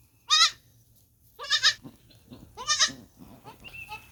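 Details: Young goat giving quick, quavering bleats, three clear cries in about three seconds, followed by softer rustling and a faint whistle-like tone.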